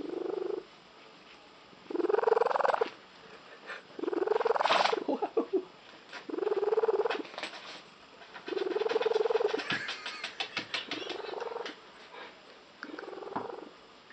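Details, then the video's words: Female house cat whose odd purr is said to resemble a tree frog, growing intense; loud rattling purr bursts roughly every two seconds, some ending in a brief upward sweep, the last stretch breaking into rapid choppy pulses. "the cat with the unusual purr"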